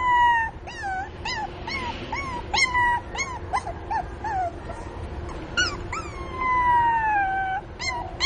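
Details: Miniature pinscher puppies whimper for their mother in a busy run of short, curved, high-pitched whines that come almost twice a second, ending with one sustained descending cry lasting over a second; a soft hum continues throughout.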